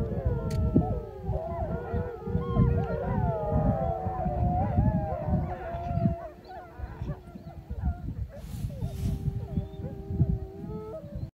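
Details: Gray wolf (Canis lupus): the Wapiti Lake pack of about 16 wolves howls in chorus in the morning, several voices sliding and wavering over one another against low wind rumble.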